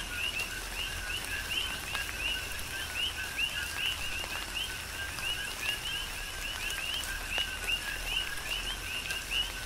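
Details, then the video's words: Rain falling on the Big Island, Hawaii, while numerous coqui frogs call together. Their brief upswept whistles, each paired with a lower tone, come in a thick, almost unbroken stream over a hiss of rain and occasional drop impacts. "Tropical Rain & Coqui"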